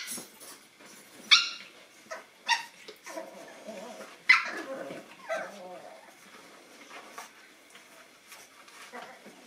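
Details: , 9-week-old Boston Terrier puppies from one litter, indoors, meeting a new toy; scattered short sharp yips and squeaky barks at irregular intervals with soft scuffling between them.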